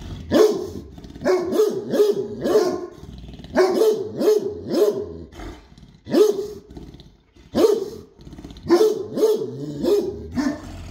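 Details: ['A Great Dane gives loud, deep barks in quick runs of three or four, broken by brief gaps, with steady repetition throughout.']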